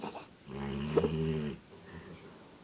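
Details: A Labrador asleep, giving one drawn-out, low, buzzy harmonic snore lasting about a second, followed by faint softer breathing.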